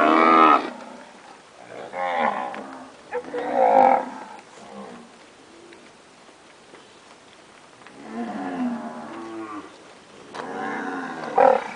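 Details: Purebred Nelore cows that have recently calved: several harmonic moos, each roughly half a second to a second long, arrive at uneven intervals, with a quiet stretch of several seconds in the middle before two more drawn-out lows.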